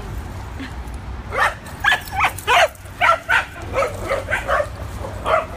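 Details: Rapid run of about a dozen sharp, bright barks, roughly two or three per second, from adopted dogs playing at a New York City dog park for the first time, with faint background hum.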